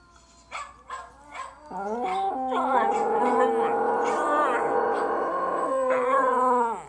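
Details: Two West Highland White Terrier brothers, in summer, give a few short yips, then break into long, wavering, overlapping howls together.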